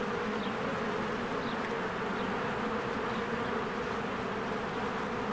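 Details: Bees fly in and out of a spring hive, producing a steady, dense buzz. A couple of brief, high bird chirps cut through the humming.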